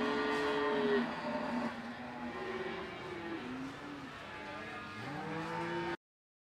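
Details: Cattle at the Ambarketawang cattle market in Gamping, Yogyakarta, Indonesia: low, drawn-out moos with wavering, rising and falling tones, over a steady engine-like hum.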